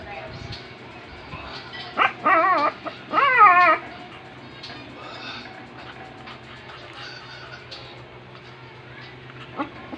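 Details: Rum, a 2-month-old Shih Tzu puppy and new family pet, gives two short, high, wavering whines in quick succession near the middle, with a steady low hum in the background and otherwise quiet surroundings.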